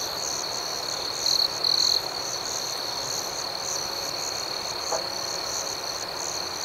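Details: Night crickets keep up a constant high, pulsing trill, with two quick louder chirp bursts early on and a faint click near five seconds.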